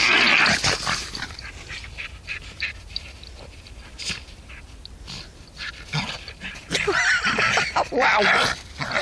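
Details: Border Terrier stud dog Herbie playing in the snow on Werneth Low with his great aunt Phi; a short whining vocal opens the clip, with louder vocal bursts near the end, amid crunching snow footsteps.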